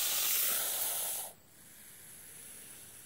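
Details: Non-venomous hognose snake, called the Missouri cobra, putting on a cobra-like show: a strong, airy hiss for just over a second that cuts off abruptly into near silence.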